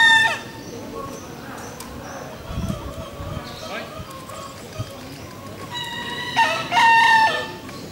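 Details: At the Pakualam Cup national bekisar voice contest in Yogyakarta, 3 December 2017, Pratama class final, a bekisar gives a clipped crow at the start and a louder, ringing two-part crow near the end over crowd noise.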